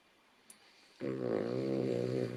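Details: A female Cavalier King Charles Spaniel snores with a low, buzzing, rattling rumble drawn out on one breath.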